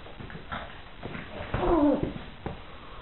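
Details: Irish Water Spaniel puppies, four of them playing with their bichon frise companion; a short arched whining growl rises and falls near the middle, set among soft thumps and scuffling paws.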